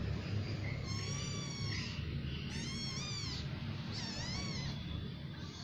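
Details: Members of a new cat family calling with three drawn-out, tonal meows, each rising and falling, the middle one louder and wavering, over a continuous low hum.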